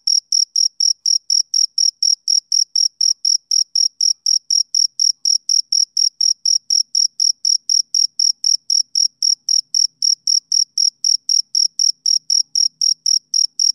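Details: A male cricket calls on a summer evening, giving a continuous run of sharp, high-pitched chirps at roughly three per second, regular and uninterrupted, with nothing else audible.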